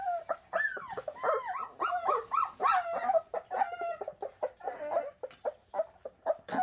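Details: A litter of Bernese Mountain Dog puppies known as the Shasta puppies keeps up a dense chorus of high, bending whines and squeaky yips, voices overlapping continuously throughout.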